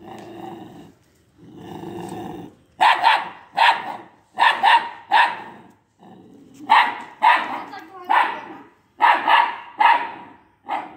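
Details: An Italian Greyhound puppy of only two months, confronting an unfamiliar boy, alternates short low growls with bursts of loud, high yappy barks, often in quick doubles and triples.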